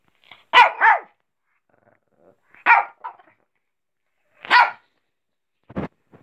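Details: A small four-year-old female Shih Tzu gives sharp, high, yappy barks, begging impatiently for tomatoes, one of her favourite foods.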